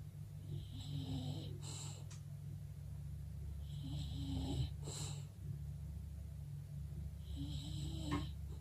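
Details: Birdie, a female English bulldog, snoring while asleep indoors: three rasping, hissy snores about every three seconds, each with a wavering low drone, over a steady low hum.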